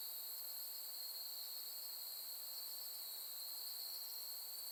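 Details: Autumn insect chorus at night on Soni Highland, Nara, Japan, in late August 2021 as summer ends, among susuki grass under a clear starry sky: continuous high-pitched shimmering trill layered in several even bands, unbroken throughout.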